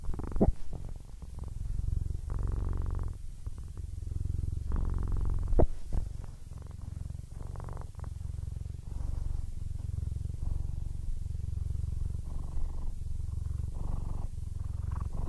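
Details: Aris, a 15-year-old male Siamese cat, almost blind and content, purrs steadily in deep rumbling pulses that alternate with his breathing, with a few soft clicks and faint room sounds in the background.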